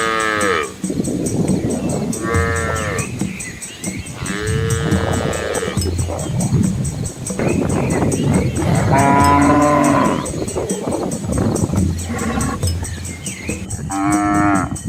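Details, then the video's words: A herd of Asian village cows with calves beside their mothers walks a rural road through rice fields. Overlapping moos from several animals come every two seconds or so, some long and some short, over a busy low rumbling background. "Cow Sounds"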